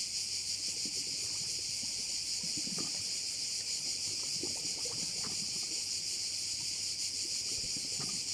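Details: Crickets heard over a bay on Korčula, Croatia: a dense, unbroken high-pitched buzzing chorus that stays steady throughout, with scattered faint low thumps and rustles underneath.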